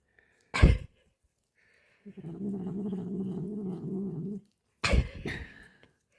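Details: Female cat lying in a man's arms, licking a treat while he feeds her, gives a steady low rumbling hum lasting about two seconds, set between two sharp clicking knocks.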